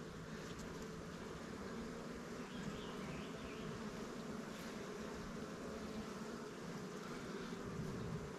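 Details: Honey bees buzzing in a steady, dense hum at an apiary of Langstroth and Warre hives, as a beekeeper checks frames of honey and drone comb while moving resources from stronger hives to new swarm hives.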